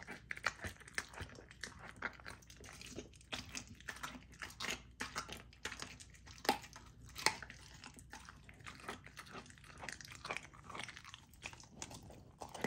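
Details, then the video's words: Female Golden Retriever puppy eating a raw dog food dinner, partly frozen so she chews slowly, in a small room; dense, irregular crunching and smacking bites with sharp louder snaps scattered throughout. "Raw Dog Food MUKBANG for my Puppy! ASMR EATING SOUNDS"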